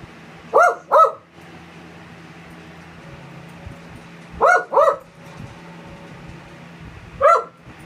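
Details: Pomeranian indoors barking at a small statue of a Pomeranian it dislikes: two quick sharp barks, a pause of several seconds, another double bark, then a single bark, over a low steady hum.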